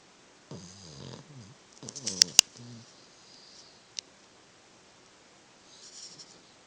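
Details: A Boston Terrier sleeping with his tongue out snores in rough, low, snorting rasps, a few short bursts close together.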